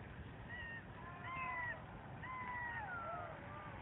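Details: A territorial group of golden jackals in the Kras region near the Slovenian-Italian border, recorded during a trans-boundary jackal survey, howls together in high, wavering wails that slide up and down and overlap.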